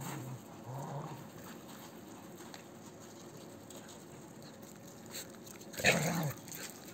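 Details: Azkar1, a large, playful male dog in a shelter among people and other dogs: low murmuring tones at the start, a long quiet stretch, then one short, loud bark near the end, with faint rustling and handling noises.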